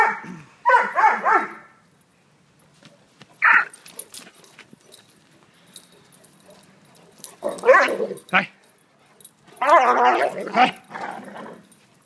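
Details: Great Dane puppies playing indoors, giving bursts of high yipping barks and whines in short clusters separated by quiet gaps, with a person speaking nearby.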